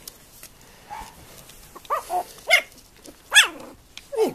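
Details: Female Tibetan terrier named Tingsha Bells Free After Bonita giving a short series of high, yelping barks that slide downward in pitch, loud and close, with quiet gaps between them indoors.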